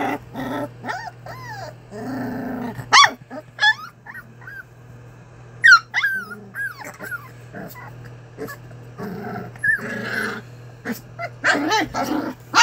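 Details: English Springer Spaniel puppies from Ruby Todd's first litter, littermates Hagrid, Luna and Bellatrix, whining in high, bending whimpers mixed with short growls and yips, the squeals rising and falling in quick irregular bursts over a steady low hum.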